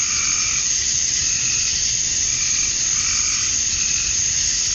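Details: Male cicadas chirping to attract females at dusk on a summer night in Georgia, USA; a dense, steady, high-pitched buzzing hiss runs unbroken, with fainter lower pulsing tones swelling and fading every second or two.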